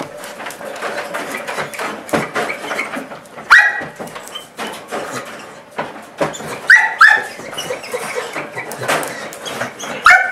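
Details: Excited Portuguese Water Dog greeting its owner just arriving home, giving a few short, high squeaky-toy-like whines scattered among breathy panting and shuffling noises.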